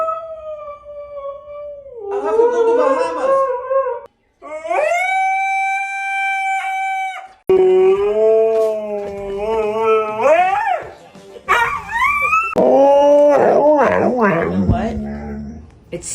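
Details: Siberian Husky howling loudly: a long steady note, a brief pause, then higher drawn-out howls, a wavering complaint and a final stretch of rapid yodel-like up-and-down warbles, with faint background music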